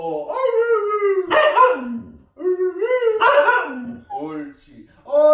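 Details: A four-month-old Siberian Husky during its first training session, giving drawn-out, wavering howl-like yowls that rise and fall in pitch, in three long phrases, with a person talking to it.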